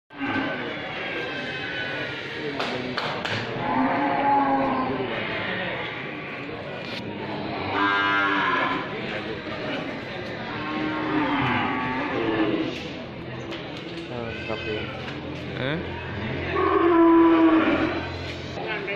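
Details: Cattle of many kinds, from scrawny to jumbo, gathered in one place; several drawn-out, harmonic moos rise and fall and overlap one another against a busy, reverberant background.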